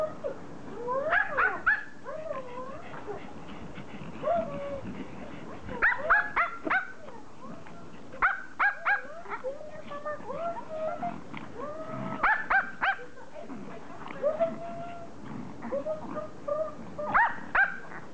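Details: Several Pomeranians, toy Poms, greeting their owner on her return from vacation, happy reunion excitement: rapid high whines and yips, rising and falling, in dense bursts with short barks throughout, faint indoor background.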